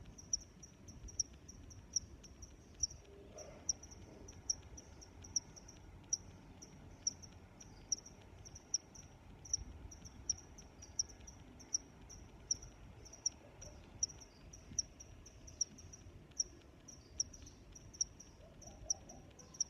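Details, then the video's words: Crickets chirp in a calm nature soundscape, sharp high notes recurring about once a second with a continuous thin high trill between them, a soft low background noise beneath and a short faint murmur near the start. "Sounds of Crickets"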